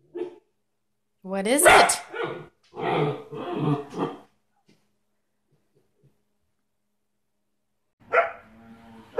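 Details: German Shepherd giving a rising, yowling howl that breaks into a run of harsh barks, then a drawn-out moaning vocalization after a pause.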